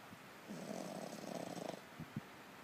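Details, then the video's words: Sleeping French Bulldog snoring with eyes rolled back: one rough, rattling snore lasting over a second with a fluttering, pulsed texture, then two short soft snorts in a quiet room. "French Bulldog 打呼"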